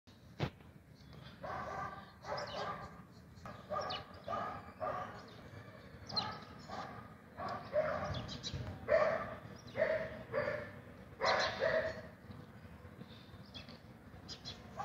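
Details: Black German Shepherd barking: a long run of loud, deep, gruff barks in quick bursts of two or three, some with a whiny edge, continuing steadily over fifteen seconds.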